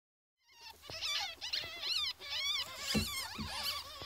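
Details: Fourteen-day-old ferret kits squeaking in a dense, overlapping chorus of short, high, wavering squeaks, roughly two per second, with soft pattering and shuffling underneath.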